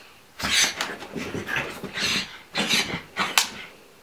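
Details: Pug scared of a pillow, giving a series of breathy, noisy snorting huffs in short bursts, with a cluster in the middle and a few sharp puffs toward the end, in a quiet indoor setting.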